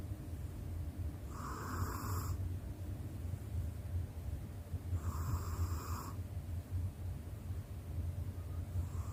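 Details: Sleeping female domestic cat snoring: a steady low rumble throughout, with two louder breathy snores near two and five seconds, each lasting about a second, in a quiet indoor room.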